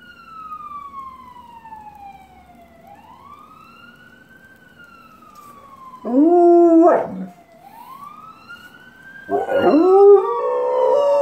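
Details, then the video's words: A black Labrador Retriever breaks into loud, wavering howls over a passing fire truck's rising and falling siren. "Black Labrador Retriever Chuck Howls at Fire Truck pt. V"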